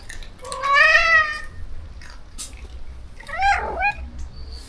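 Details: Shelter rescue cats meowing during feeding time: a loud wavering meow near one second, a click, then a shorter falling meow around three and a half seconds, in a small indoor space with low background hum.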